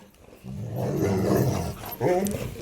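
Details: Raging Rottweiler Marley in a fight gives a rising, rough growl that drops back, then breaks into a sharper snarl, ending on a sudden loud snap.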